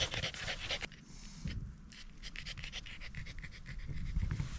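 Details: Corgi panting hard on a sunny hike up a small rural mountain in Japan's Ina Valley area, before autumn colours: fast, breathy in-and-out puffs, briefly pausing after the first second before resuming at a quick steady pace.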